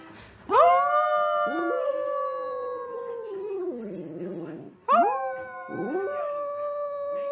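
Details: Poppy, a pet dog, howls in two long, sustained, slightly falling tones, the first beginning after half a second of near quiet and lasting about four seconds, the second starting near the five-second mark.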